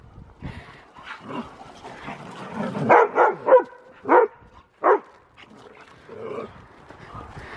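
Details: Huskies play-wrestling with each other, rough-looking but only play, giving a run of short grumbling barks and growly yelps, loudest in quick bursts midway, with scuffling between calls.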